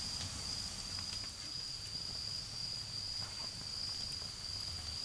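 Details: Autumn insects calling beside a garden bonfire: a steady, unbroken high trill holds one pitch throughout, with sharp crackles and pops from the fire and a low rumble of distant cars underneath.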